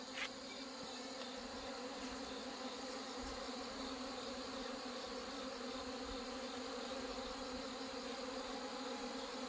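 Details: Honey bees from colonies hit by hornets and failed mating, being merged; a dense, steady hum of many bees with stacked harmonic bands, continuous throughout, a few faint clicks near the start.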